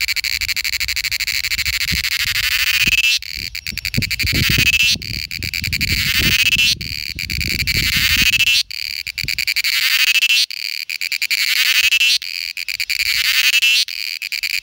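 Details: In India, a cicada gives its loud, shrill buzzing mating call, broken into repeated bursts of a second or two.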